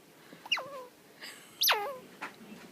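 A young squirrel gives two thin, high squeals that slide steeply downward and trail off.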